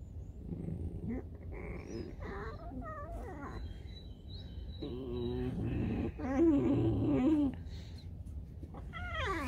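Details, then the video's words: Pet fox calling around breakfast time, with wavering, whiny calls rising and falling in pitch, several in a row with a louder warbling cry near the middle; music and low background rumble throughout. "Alice the Fox Лиса Алиса (Голод не тетка!!)"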